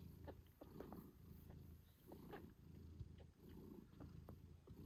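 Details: Mother British Shorthair, Moon Stone, purrs loudly as she nurses and tends her kittens 8 days after birth; a continuous low throbbing purr rising and falling with each breath, with small ticks and rustles.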